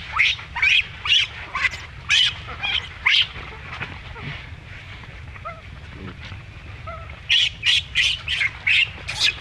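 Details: Mistreated infant monkey squeals in harsh, high bursts, a rapid series, then a quieter pause with faint low squeaks, before another burst of piercing repeated screams near the end.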